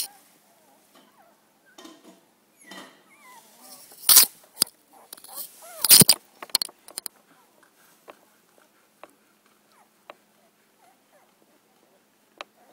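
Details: Golden Retriever mother Hailey with her nine puppies, recorded 31 October 2011 indoors; thin, wavering high squeaks and whines in the first few seconds, then two loud rustling bursts and scattered sharp clicks.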